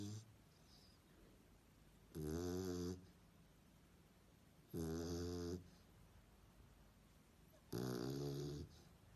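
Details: Sleeping dog snoring indoors: three long rasping, buzzy in-breath snores about every three seconds, each lasting under a second, with quiet breathing between.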